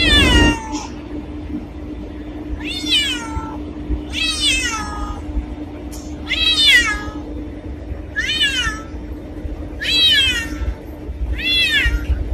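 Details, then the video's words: Repeated cat meows with falling harmonic contours, about six calls spaced one to two seconds apart, over a steady low hum and background noise. "Black Cat Sound | Creepy Cats Meowing | Scary Cat Meowing | Black Cat Voice"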